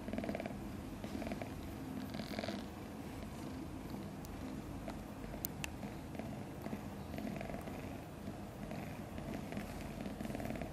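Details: A kitten only days old, from a litter of five, purrs evenly and continuously while sleeping soundly, with faint rustles and soft clicks around it.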